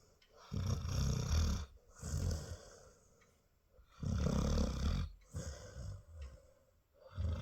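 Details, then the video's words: A mother Labrador retriever snores heavily while dreaming as her puppies nurse, with deep rasping breaths in bursts about every one to two seconds and brief quiet pauses between them. "Hundemama Chilly träumt & schnarcht"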